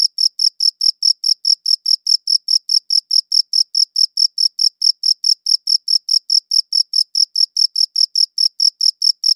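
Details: Crickets give a continuous train of shrill, regular chirps, roughly four a second, each pulse crisp and evenly loud, with a silent background.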